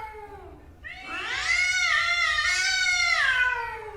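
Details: Fighting angry male cats: a fading low wail, brief pause, then a loud rising caterwaul that holds a strained, wavering high pitch for two seconds before sliding down.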